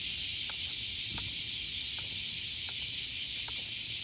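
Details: Large chorus of cicadas heard on a morning walk during hot summer days, with nighttime lows above 25 °C: a dense, steady, high hiss fills the air without pause, and faint soft clicks come about every 0.7 seconds.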